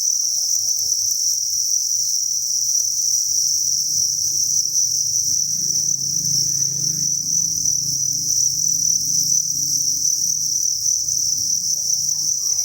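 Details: Crickets at a breeding facility, thousands chirping at once: a continuous shrill, even buzz that never breaks, over a muffled low hum and brief faint rustling in the middle.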